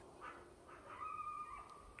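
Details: Coyotes yip in the distance, then one holds a thin, steady, high howl, before sunrise on a winter February morning at about -4°F near Jackson Hole and Grand Teton National Park, Wyoming.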